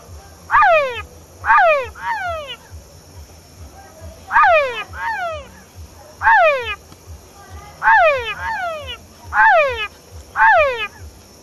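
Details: Male Engystomops pustulatus frog calling at La Mana, Cotopaxi province, Ecuador: loud whining calls sweeping steeply downward, given in bursts of two or three every second or two, some followed by short extra notes, over low rhythmic background thumps.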